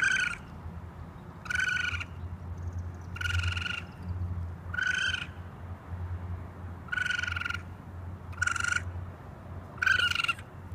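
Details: Raccoon voice: a run of seven brief, rasping, nasal calls at fairly even intervals of about one and a half seconds, with a constant low droning hum underneath.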